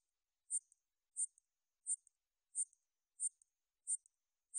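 A katydid gives short, high, buzzy chirps, repeated evenly about every two-thirds of a second.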